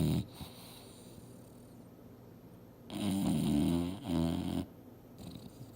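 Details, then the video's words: Mildred the English Bulldog asleep on the couch, dreaming hard: a short snort, then a quiet stretch, then a louder wavering double snore with gurgling texture, followed by faint breathing. "SNORING BULLDOG SLEEPING & DREAMING HARD!!!"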